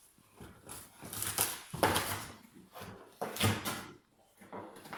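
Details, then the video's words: French Bulldog named Sheila indoors, suspecting a squeaky ball inside a box; short whimpering and snuffling bursts come in uneven spurts, with scratching and rustling of the box between them in a small room. "Französische Bulldogge Sheila vermutet einen Quietschball in der Schachtel"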